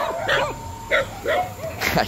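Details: Village dogs in the Amazon rainforest near the Colombia, Peru and Brazil triple border, at a stop for dinner; several short yelping barks about every half second, with a steady insect-like hum in the background.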